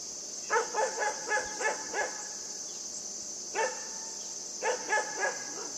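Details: High, yappy barking from Yufie the puppy as it plays with a buck: a quick series of six barks, a lone bark, then a closing cluster of three, with steady hiss underneath.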